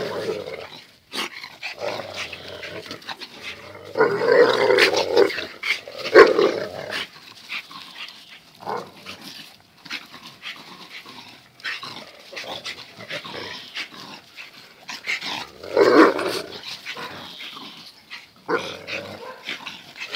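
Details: Zion and Tyson, two dogs locked in their everyday fierce tussle, trade rough growls and snarls in uneven bursts, loudest around the middle and again near the end.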